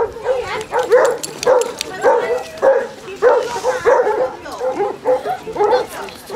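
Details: Deep, hoarse barks from some of 24 Basset Hounds on Burnham beach, Somerset, 2 February 2014, come roughly every half second in a loose, uneven rhythm as several dogs bark over one another on the seaside walk.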